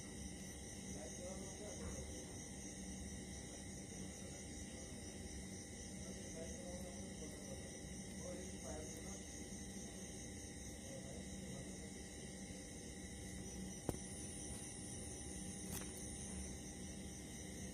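An Indian mole cricket gives a steady, unbroken buzzing trill through the night, over a low rumble.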